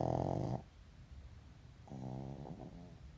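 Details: Sleeping pug snoring: a loud buzzy rasping snore that stops abruptly, a second of quiet breathing, then a softer, rattling snore on the next breath, all low-pitched with a steady faint hum behind.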